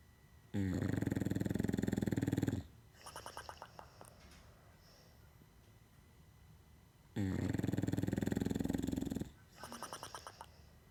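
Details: English Bulldog. An English Bulldog snores in a steady cycle. A harsh, rattling inhale lasts about two seconds, followed by a quieter, fluttering exhale, repeating roughly every six and a half seconds.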